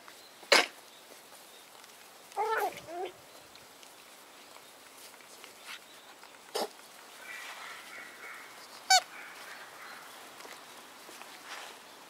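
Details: Seven White Schnauzer puppies, siblings born September 3; a brief high squeak, then a wavering nasal whine lasting half a second, later one short sharp yip over a quiet background with soft scuffling.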